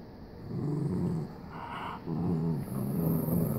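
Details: Low rumbling growls from a Jack Russell Terrier said to have OCD, in two throaty stretches separated by a short pause, with a faint higher hiss between them.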